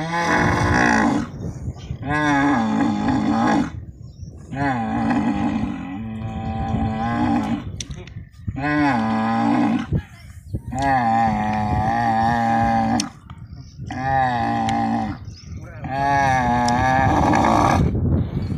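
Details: Camels being loaded into a truck at a market in Islamkot, Tharparkar. Deep, drawn-out gurgling bellows last one to two seconds each and repeat roughly every two to three seconds, separated by short quiet gaps.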